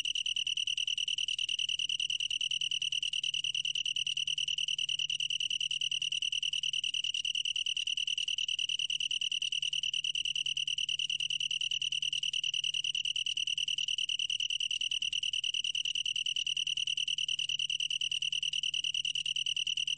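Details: Long-tailed tree cricket producing a sustained, ringing high trill of rapid pulses, unchanging in pitch from start to finish, heard alone.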